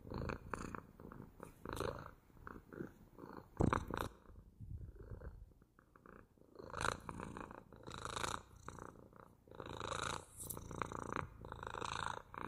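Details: Softer domestic cat purr, rumbling in breath-timed bursts, dropping almost to silence for two seconds midway, then returning in stronger rhythmic waves.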